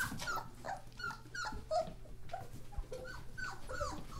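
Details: German Shorthaired Pointer puppies, thirteen in the litter, born 1 January 2014: short piping whimpers, each a quick bent squeak, repeated several times a second by several pups at once over a low indoor hum.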